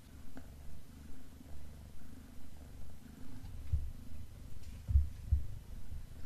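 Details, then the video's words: Black pet cat purring while eating beef snacks: a low, steady rumbling purr with a soft rhythmic swell roughly every second, and a few faint clicks and crunches over the top. "Black Cat Eating Beef Snacks ASMR"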